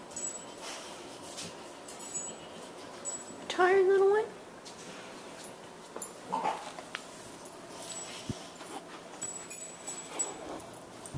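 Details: A tired 10-week-old female Boxer puppy named Bonbon, indoors in the morning wanting a nap, gives one clear whining whimper that wavers and rises for about half a second, amid quiet room noise and a few soft spoken words.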